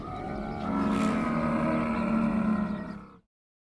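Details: One sustained camel cry, harsh and growling with dense harmonics, building in strength after half a second and ending abruptly after about three seconds.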